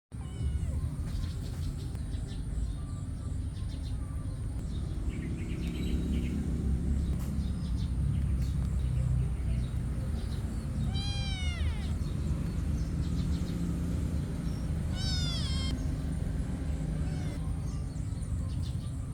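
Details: Cats fighting over food give two short, harmonic meows about four seconds apart, each bending down in pitch, over a constant low rumbling background.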